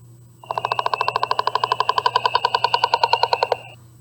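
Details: Leopard frog, common around Fort Worth, calls with a fast train of hard pulses lasting about three seconds, creaky like a slowly opening door, played from a sound-card device over a low electrical hum.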